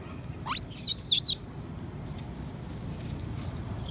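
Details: Young female monkey at Angkor, Cambodia, crying to her mother for nursing, perhaps feeling ill: a sharp upward squeal, then a long high wavering wail, quiet rumbling, and a final cry starting at the end.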